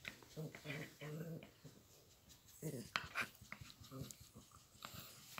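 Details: A Yorkshire Terrier being massaged makes low, drawn-out grumbling moans of pleasure, with a person talking nearby.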